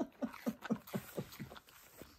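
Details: Keyush the husky grumbles and begs at home while his owner eats breakfast, making a string of short, voiced, moaning pulses about four per second. The pulses soften and fade toward the end, in a quiet indoor room.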